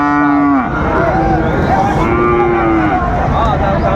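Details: Flekvieh bull calf lowing: a steady low moo that bends downward, followed by softer wavering calls, with men talking about its price in Bengali in the background.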